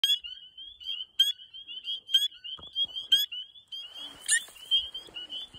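Spring peepers calling in a dense chorus of high, clear, rising peeps that overlap almost without pause.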